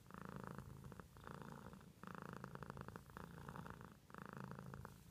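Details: Cat purring up close, a low rattling rumble in clear alternating breath phases roughly every second, five cycles in quick succession.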